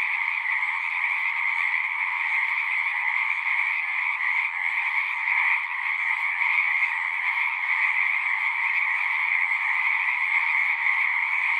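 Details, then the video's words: A pond in a horse pasture full of singing frogs, captured on a Zoom 6; many overlapping trills merge into a constant, even chorus with two bright pitch bands and no pauses. "Frogs singing"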